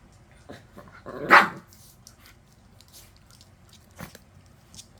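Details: Indoors with Maltese dogs Yeppi, Dal and Byeol from one multi-dog home: a single sharp bark just after one second, a faint short yip near four seconds, and a quiet small room otherwise.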